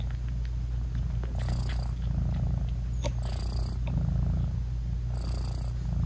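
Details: British Shorthair mother cat nursing tiny kittens with eyes still closed, purring; constant deep rumble with three short breathy hiss bursts spaced about two seconds apart.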